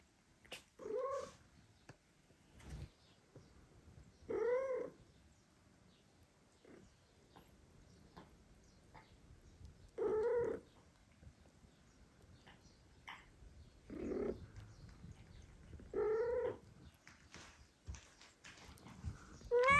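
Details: A mother cat that no longer wants to feed two foster kittens calls the father cat to help. Five or six short, quiet, wavering meows are spread over twenty seconds among soft clicks and shuffling indoors.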